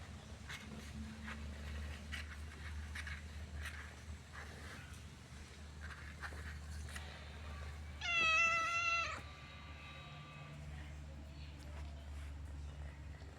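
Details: Orange domestic cat giving a single loud, drawn-out harmonic meow of about one second near the end, against a steady low hum and soft background noise for the rest.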